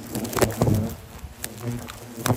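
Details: Defending hornets charge during treatment of their nest, later returning to it. Short bursts of deep, humming wing buzz come and go as individuals fly past, over scattered clicks and rustling handling noise.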